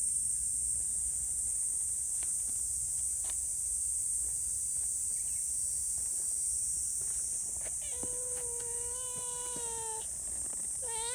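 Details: Friendly community cats relaxing together after a meal: a drawn-out, level meow lasting about two seconds near the end, followed by a short, rising start of another, over a constant high insect drone and scattered faint clicks.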